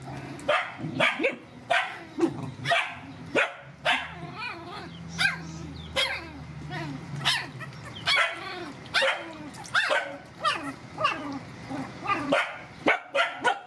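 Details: Mother dogs and puppies, rescued animals, being fed: a long run of dense, overlapping barks, some in quick pairs, with a low hum in the middle and steady busy background.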